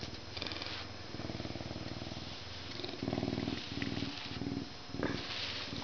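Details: Captive male Canada lynx, born at a zoo in May 2011 and kept as a humanized educational ambassador, purring while being scratched before his meal; steady low pulsing rumble in bursts, with a few brief scratching rustles.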